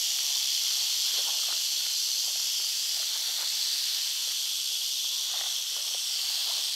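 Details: Eastern diamondback rattlesnake from North Florida giving a continuous rattle, a dense high-pitched sizzling buzz that stays even in loudness, with soft rustles and light knocks underneath.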